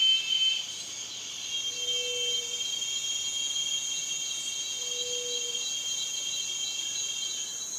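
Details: Continuous cicada buzz, a piercing high whine of layered tones that holds steady, slightly louder at the very start, then a flat, even drone with no pauses.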